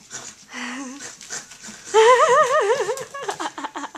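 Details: Ponyo, a 9-week-old puppy on his first day home, lets out high wavering whines: a short rising whimper, then a longer warbling cry that wobbles up and down for about a second, followed by brief yips, over faint indoor noise.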